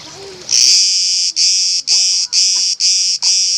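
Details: Cicada camouflaged on an olive tree at Elounda, Crete, Greece: after a short quiet start, a loud, harsh, high buzzing begins, broken into pulses of about half a second by brief gaps, with faint low background sounds.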